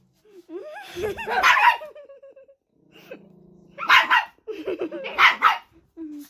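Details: House dog barking at a small child, recorded 21 December 2021: children's voices at first, then a humming tone, then two harsh bursts of barking about a second apart near the end.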